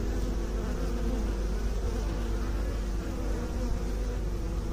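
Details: Continuous low bee drone, kept by beekeepers, thick and even, with stacked humming tones and a brief dip in loudness near the end.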